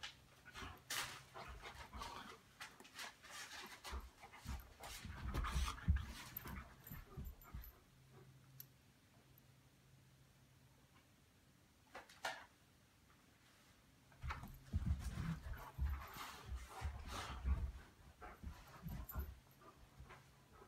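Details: Old English Sheepdogs Daisy and Duke pant and huff in rapid, rough bursts during play, with a quiet pause between bouts.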